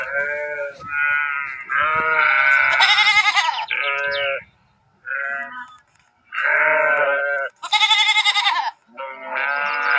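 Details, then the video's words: Sheep baaing in a string of overlapping bleats, some deep and wavering, others high and strained, with short gaps between bursts as several animals call in turn. "Sheeps Sound effects"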